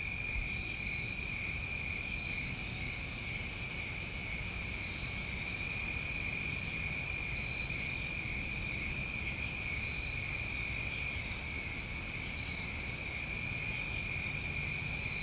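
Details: Chorus of New England summertime crickets at night: several steady, high-pitched continuous trills layered together without pause, over a soft low background hum.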